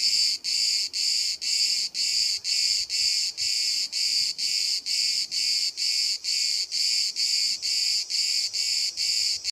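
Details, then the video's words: Single cicada filmed from 5 cm at Bodrum, Turkey, where hundreds call all day and stop when someone nears; shrill buzzing pulses repeating roughly twice a second in an even, unbroken rhythm. "The charping of the cicada"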